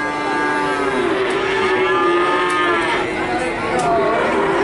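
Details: Calves moo in Nganjuk, Indonesia: several overlapping drawn-out harmonic moos at a steady level, with faint vehicle-like noise and scattered clicks behind.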